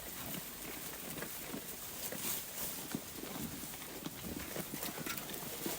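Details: Sheep. Sheep grazing as a flock: quick, irregular crunches and rips of grass being torn and chewed, over a constant rustling hiss. No bleating stands out, and outdoor background noise runs underneath.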